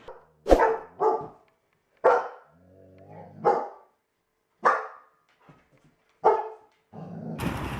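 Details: Dogs and puppies in a funny pet compilation, barking in a series of short, sharp, harmonic barks spaced irregularly about a second apart, with brief quiet gaps and a rough noise burst at the end.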